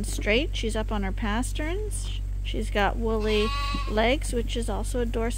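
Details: Lambs being bottle fed on a hand-made feeder at Ewetopia Farms bleat almost without pause. Short quavering cries overlap and fall in pitch, with one longer, higher drawn-out bleat in the middle, over a constant low machine hum.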